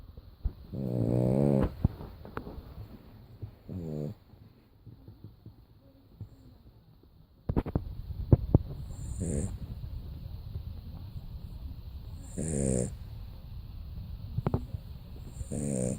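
A French Bulldog snores in loud, rattling, low-pitched bursts with quiet breaths between them.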